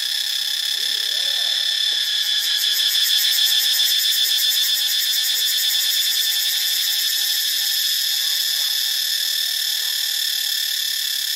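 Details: Cicadas (Cicadidae) give a loud, unbroken, shrill buzz that fills the air without pause in Ubon Ratchathani, Thailand, on 25 March 2022.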